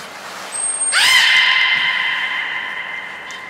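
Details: Nana the beluga in training at Nagoya Port Aquarium on 13 April 2019: a high steady whistle tone, then a loud call that sweeps upward and holds as a rich, bright, harmonic tone for about two and a half seconds.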